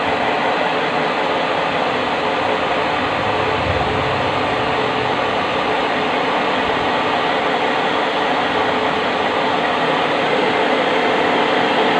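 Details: Loud, constant mechanical hum and hiss like machinery or air conditioning, with a steady low tone and no animal sound.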